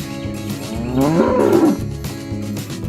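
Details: A cow in a herd roaming village fields, calling its companions back to the barn with one short, wavering moo that bends up and then down, set against a continuous low rural background hum.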